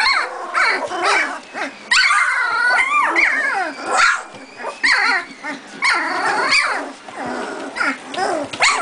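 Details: Doberman puppies, two and a half weeks old, playing together before their mother is let in to feed them; dense overlapping high squeaky yips, growls and tiny barks, harmonic-rich and rising-falling, nearly continuous across the litter.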